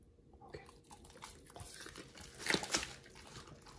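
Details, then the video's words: Raw treats crunched by Pit Bulls Oliang and nomyen in a small room: soft wet mouth sounds build to two sharp, bright crunching bites close together near the middle, then quieter chewing. "Oliang and nomyen the Pit Bulls eat RAW healthy treats [ASMR] MUKBANG 犬が生の肉を食べる [咀嚼音]"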